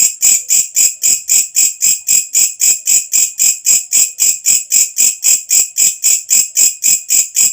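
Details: A katydid (walang kecek) singing at night, its loud high-pitched pulsed buzz repeating quickly and very regularly, almost four pulses each second, nothing else audible.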